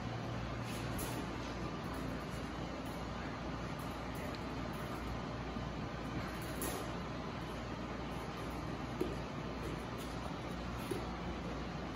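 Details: Steady roar of passing traffic, with a low engine rumble and hiss across the whole stretch and no animal voice.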